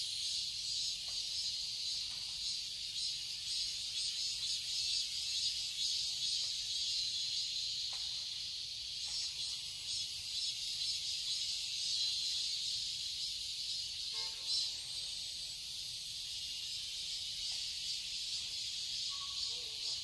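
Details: Steady, piercing cicada chorus from a garden in Seoul, Korea, in summer, a hissing wall of sound with slight surges, joined briefly by a few bird notes near the end.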